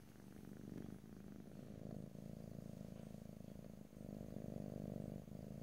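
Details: Purring cat recorded in stereo at very close range, a thick low rumble in long breath-paced swells, each lasting about two seconds and separated by short quieter gaps.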